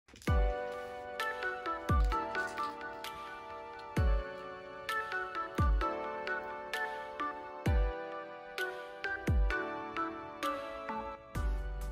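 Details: Electronic music with bright plucked tones and deep bass hits every two seconds plays throughout, with no animal voices.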